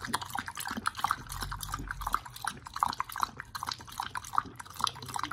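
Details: Dogs Oli and nomy feeding on raw meat in the manner of a wolf; fast, steady wet smacking and tearing chews, moist clicks and slurps repeating several times a second throughout.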